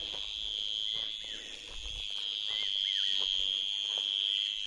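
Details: Daytime crickets sitting in bushes at a forest camp near Rajaji National Park, rubbing their wings against each other: a continuous shrill, high-pitched drone runs throughout, with short down-slurred bird chirps scattered over it.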